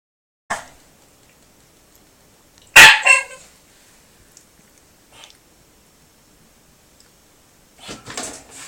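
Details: Shiba Inu named Sora, eager to play with a cat, gives a single sharp bark followed by a softer second one, with a few faint short yips before and after in a quiet indoor room.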